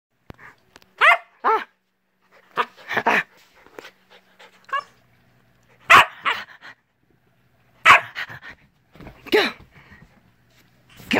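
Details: A male Siberian Husky–Alaskan Grey Wolf cross, born April 2017, gives short, wavering, yodelling howls in separate bursts with quiet pauses between them, indoors at home at 5:30 am.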